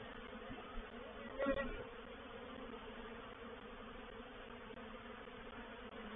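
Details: Reproductive honey bee swarm moving into a bait hive at Painted Peacock Manor on 04/07/21; a continuous droning hum of many bees, with one nearer bee buzzing briefly past early on.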